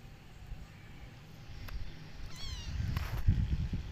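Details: Domestic cats from a cat family visiting a new place outdoors; a single short, wavering meow with a slightly quavering pitch rises midway, followed by a fainter cry, over a steady low rumble of wind and handling noise.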